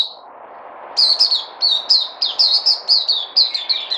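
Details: White-eye known locally as puteh, a kept bird on a supplement diet, recorded 3 August 2020: after a single opening chirp, an energetic run of sharp high notes tumbles on for three seconds over low hum.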